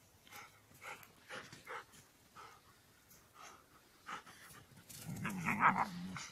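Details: Evening walk with dogs Ken, Sally and Yanika: rhythmic soft breathy puffs like panting, then one short harmonic growling whine about a second long at the close.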